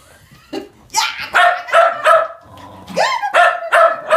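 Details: Shetland Sheepdogs Sky, a tricolor, and Trevor, a blue merle, at play, running and chasing: a steady run of loud, clipped barks, roughly three per second, broken once by a rising yelp.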